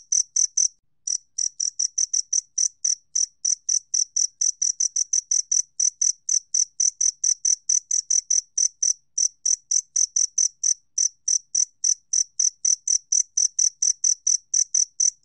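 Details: A two-spotted cricket, National Institute of Biological Resources, 2020, keeps up a long unbroken run of sharp, high chirps, about four each second, after a short gap at the start; the background stays silent.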